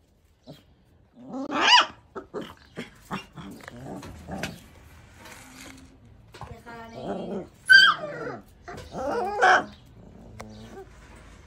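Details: Angry one-month-old Labrador Retriever puppy giving short, sharp, high yapping barks in irregular bursts, some with a rough growling edge, separated by brief pauses.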